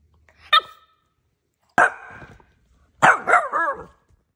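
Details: Boston Terrier dog barking: three sharp barks spaced over about four seconds, the last a longer double bark trailing into a rough, whining tail, with silence between.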